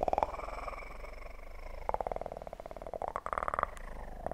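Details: Purring kitten recorded for ASMR, a continuous pulsed rumble with rhythmic beating and brief brighter voiced stretches near the start and end, some clicking taps at moments.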